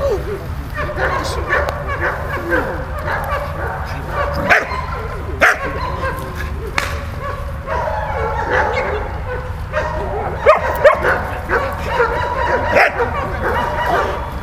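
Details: Malta the dog playing with Bulat, giving scattered short barks with strongest bursts near 4.5, 5.5, 10.5 and 13 seconds, mixed with softer yelping and whining tones and a low background rumble.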